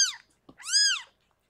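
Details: During the birth of six kittens to rescued foster cat Harlequin, two sharp high mews are heard: a short falling one, then after a soft rustle a longer, rising-then-falling cry.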